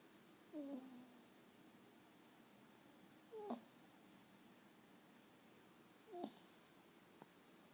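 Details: Asani, a dog falling asleep in a person's arms, snoring: three squeaky, whistled nasal breaths that rise and fall, about three seconds apart, in a quiet room.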